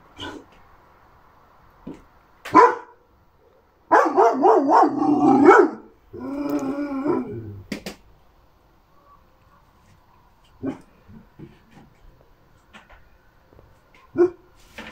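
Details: Three-month-old Šarplaninac (Yugoslavian Shepherd Dog) puppy, recorded 6 May 2021; a few sharp barks followed by longer wavering, whiny yelping howls, then scattered soft yips and quiet pauses.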